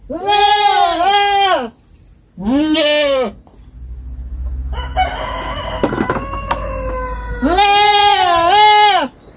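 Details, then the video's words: Young goat on a farm bleating in loud, wavering cries, two at the start and one near the end, with a different rougher animal call and thumping noises in between. "Som de fazenda e cabrito berrando"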